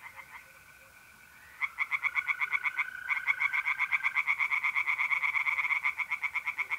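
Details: North-east Italian pond at night in mid-April, where tree frogs burst into rapid pulsed croaking after a quiet second, several callers overlapping, while mole crickets keep up a smooth steady trill.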